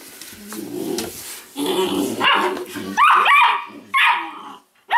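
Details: Weimaraner pups out of Indigo and Magnum, one chewing on another's tail, produce low grumbling then sharp rising yelps and squeaky barks in the second half, with some human talk underneath.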